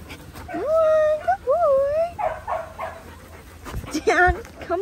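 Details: Paddock playtime for Linc, a baby Australian cattle dog, with the big puppies. Long wavering, rising and falling whines lead into clusters of short yips, with scuffling noise between calls.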